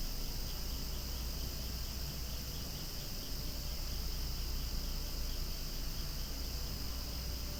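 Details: Cicadas singing noisily in the open air among flowers, their massed shrill drone steady and unchanging across the whole stretch.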